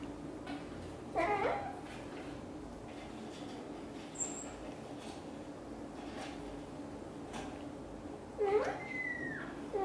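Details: British Shorthair kitten Piano and mother cat Xaxa at the nest, the kitten keen to leave: two separate thin meows, a short one near the start and a longer rising-falling cry near the end, against a quiet humming room.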